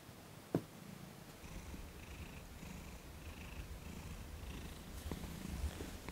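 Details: Thomas, a cat in his first weeks with a new owner, purring while receiving his first massage indoors; a soft, low rumble runs steadily under a sharp tap near the start and a faint hiss of room noise.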